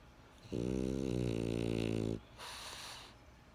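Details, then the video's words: Snoring French Bulldog. A harsh, vibrating inhaled snore holds steady for about one and a half seconds. It ends abruptly and is followed by a gentle airy exhale. "French Bulldog Snoring"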